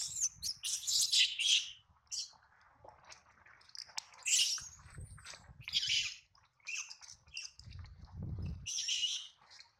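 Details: A young monkey, bitten by its mother over stealing milk, cries in pain: repeated piercing, squealing shrieks in uneven bursts, mixed with low thumping handling noise between cries.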